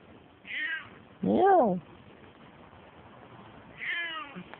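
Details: Elderly female Turkish Angora house cat calling three times: a short high meow, a loud arching wail that rises then drops, and after a pause a falling, trailing meow, with a quiet room behind.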